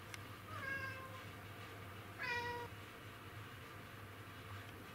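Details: Hunting-mode black cat Kuro wanting an insect, 20 August 2017; two meows about a second and a half apart, the second louder and longer with a falling end, over a low indoor hum.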